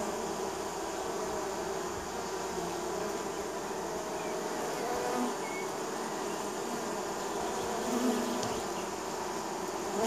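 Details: In spring, a steady, droning hum of many honey bees from a neighbour's hives, their wingbeats blending into one continuous buzz.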